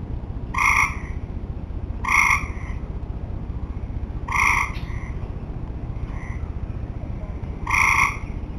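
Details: Tree frogs calling at summer's end, giving short, raspy, nasal croaks repeated about every one and a half seconds, with a fainter, softer note answering between them, against continuous low-pitched background hum.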